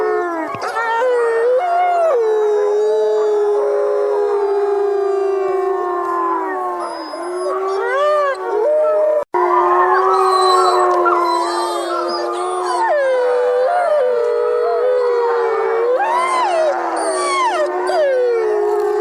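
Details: Several wolves howl together in the woods in long, wavering tones that glide up and down and overlap.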